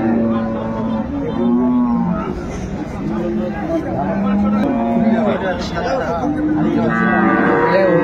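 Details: Lowing from dairy cattle and calves at Ambari market, Dinajpur, 10/2/25. Short, wavering moos repeat every second or so, mixed with people talking in the crowded market.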